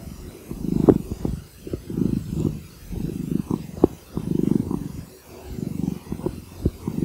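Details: Domestic cat purring steadily, a low rumbling vibration that swells and fades in long cycles with each breath, with a few soft clicks and brief taps over the continuous drone.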